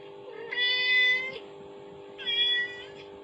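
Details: Kittens react to the sound of a mother cat calling, played from a phone; two high, clear harmonic meows about a second apart, each steady then gently falling, over a constant low electrical hum.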